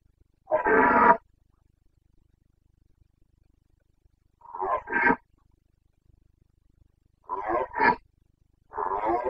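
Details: Red deer stag of the Carpathians, Bucovina, giving the autumn rut roar known as boncănit, 29 September 2022: four hoarse, throaty bellows in a series, several doubled into paired pulses, with silence between them.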